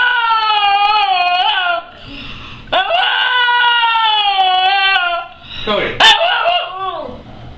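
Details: Cody the screaming dog indoors, screaming its head off: long, loud, wavering howl-like screams with rich harmonics, each held for about two seconds, broken by short gasps and a sharp break near six seconds.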